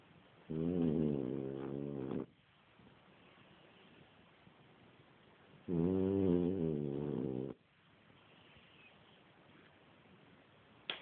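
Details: Sleeping French Bulldog snoring: two drawn-out buzzy snores, each near two seconds, about five seconds apart, with quiet breathing gaps between and a faint click at the end.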